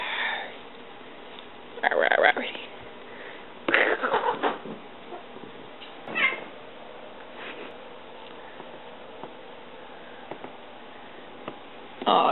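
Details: Female pet cat indoors during a game of fetch, giving a few short meows in scattered bursts between a woman's cheerful talking and praise, with quiet room sounds between them.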